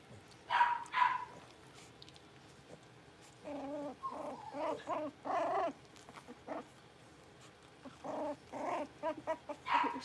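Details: Young blenheim Cavalier King Charles Spaniel puppies, a litter of five born at New Year, in an indoor puppy pen learning to bark and howl; short high yapping barks come in irregular clusters, some quick double yelps, with quiet gaps between.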